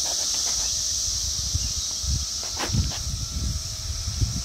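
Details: Periodical cicadas of Brood X, emerging in Towson, Maryland, on 22 May 2021, fill the air with a steady, high, shimmering drone from many insects calling at once.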